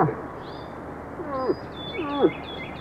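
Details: Bull moose during the rut: two short falling calls about 0.7 seconds apart, each a moaning downward slide, over steady background hiss with thin high bird chirps throughout.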